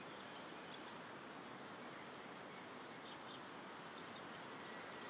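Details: Evening chorus of crickets beside a cereal field and forest, Powidz Landscape Park, Wylatkowo, recorded in stereo in spring: unbroken shrill band of rapid pulses, even in loudness, with soft rustling noise beneath.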